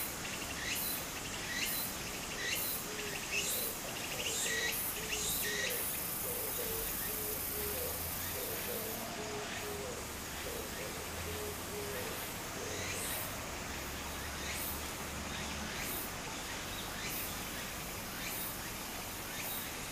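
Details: Cicadas singing in summer beside a small stream in Japan: a thin, high shimmering buzz with a louder stretch midway and pulsed bursts about once a second, over steady rushing water, plus a run of low hollow notes from another creature.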